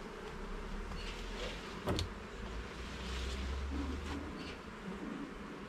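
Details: Honey bee hive in a garden being inspected: a thick, even buzzing hum over a low rumbling background, one sharp knock near two seconds, otherwise unbroken droning.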